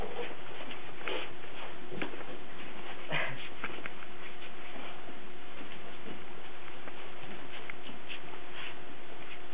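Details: Cardigan Welsh Corgi puppies recorded on 17 March 2008, giving soft, brief whimpering noises scattered among short clicks and shuffling sounds, with a faint steady hum underneath and a quiet moment of voice.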